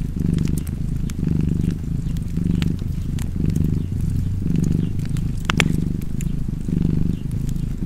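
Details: Deep rhythmic purring from a cat, each breath giving a louder swell and a softer dip, accompanied by scattered fireplace pops and a louder crackle near the end.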